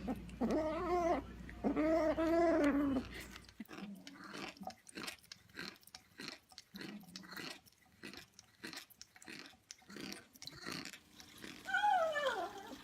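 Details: Domestic cat making a weird noise: two long, wavering, harmonic moans in the first few seconds, then a run of rapid clicking, chewing-like sounds, ending with a short falling cry.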